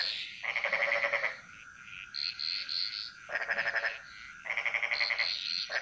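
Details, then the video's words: In a Bali jungle, frogs sing a chorus of long rattling croaks of about a second, separated by pauses filled with fainter, higher calls from other frogs and a constant high hiss. "Frog Mantras - Relaxing Sounds Of Bali"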